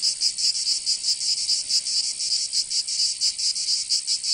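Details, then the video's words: Cicadas singing in summer in Provence, southern France: a dense, high, buzzy rasp held continuously, pulsing in uneven throbs roughly every half second, with no other sounds. "Canto Cigarra 🦗 [ Escuchar les cigarras en verano 10 H]"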